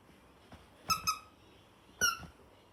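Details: A female toy poodle puppy, about three minutes old, gives three thin, high squeaks, each sliding slightly downward.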